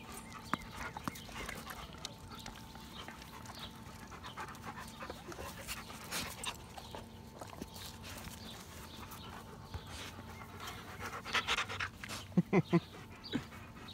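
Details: Dog panting steadily, quick breathy puffs running through the whole stretch under a low steady hum, with a few louder scuffs and short squeaky sounds near the end.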